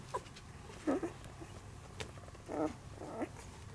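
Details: Sani's puppies, recorded 9.9.2016, eyes newly opened and starting to move about more, give several short squeaky whimpers, about four within a few seconds, over a low steady indoor rumble.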